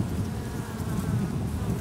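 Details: Honey bee drones, male bees, at a wild colony in an oak tree in Tampa, Florida, as it grows and readies a swarm; a dense, steady low buzz holds without pause, recorded close up on a Panasonic PV-GS83 camcorder.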